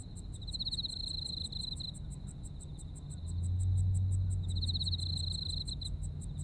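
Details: Autumn insects heard in Japan, with a sustained high trill that brightens into two strong bursts and a quick, even series of sharp chirps around four per second, while a low vehicle-like rumble rises midway.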